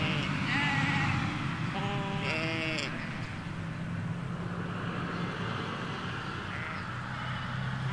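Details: Ewes and lambs in a Hampshire field, recorded on stereo M5 microphones along a hedge away from a road: a couple of short wavering bleats early on, with a faint one later, against continuous low road rumble.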